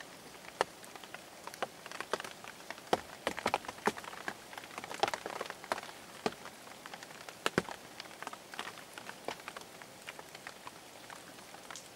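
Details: Irregular sharp taps and patters like raindrops on a surface, with no animal voice. Only a faint background hiss lies beneath the drops.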